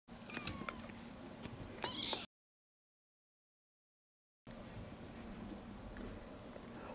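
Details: A four-week-old female Maine Coon kitten gives thin, high meows over steady room noise.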